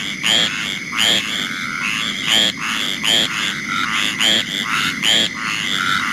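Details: A squirrel treefrog (Hyla squirella), found at about four or five sites in St. Mary's, Southern Maryland, gives raspy, chattering calls roughly every second, like a scolding squirrel, with green treefrogs calling in the background.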